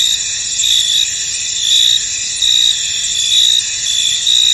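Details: Misty-field cricket chorus, a thick high buzzing drone with sharper chirp phrases swelling in roughly every second, several overlapping callers and no other sounds.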